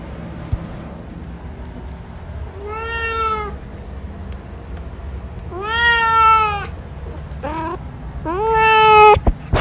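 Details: Hanzell, a male cat, calls repeatedly: long rising meows, then a short clipped one and a final strong, bright meow ending abruptly, with a faint electrical hum beneath.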